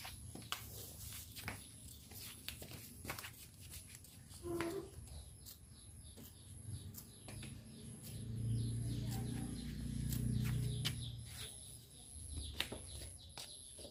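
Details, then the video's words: Tame cows roaming leisurely in a village, giving two low, deep, droning moos in a row, each about a second long, with faint rustling, scattered clicks and light chirping birds in the background. "Sound of cows"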